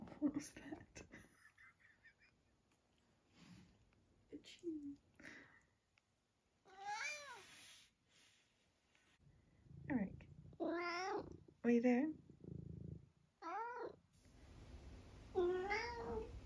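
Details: Nearly 12-year-old long-haired tabby house cat from the UK, recorded indoors in October, makes a string of short wavering meows and squeaky mrrps, bunched in the second half, after a person's quiet talking and a few soft sounds.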